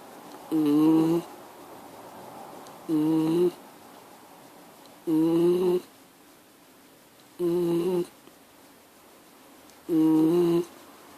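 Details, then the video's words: Miniature Schnauzer making a steady, nasal, humming noise in half-second bursts, each holding one buzzy pitch, repeated about every two and a half seconds with near silence between. "Mini schnauzer making noise"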